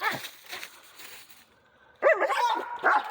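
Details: Dogs out hunting squirrels give a sudden run of loud, excited barks and yelps with whining overtones, following a quieter stretch of faint human talk.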